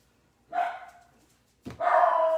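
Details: A host's second dog barking indoors during a live stream: two harsh, noisy barks, one short and one longer, about a second apart.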